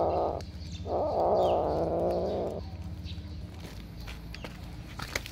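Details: Domestic cat giving two drawn-out, steady mid-pitched meow-like calls, a short one then a longer one of about a second and a half, followed by quieter rustling and faint clicks.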